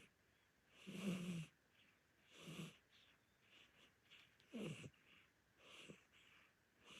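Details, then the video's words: Korean shorthair cat, an elderly orange tabby, snoring while asleep at home: heavy wheezing breaths with a deep grating rumble, four main snores spaced unevenly over several seconds, softer breaths in between. "안 키워본 사람은 모르는 고양이 실체🤣|코골이, 눈 뜨고 잠, 몸부림, 잠꼬대"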